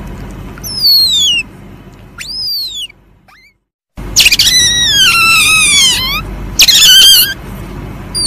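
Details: Musang, the Asian palm civet, uttering thin descending squeals, then a short pause and louder, strained harmonic cries sliding down in pitch, repeated in two bouts, over a faint continuous low hum.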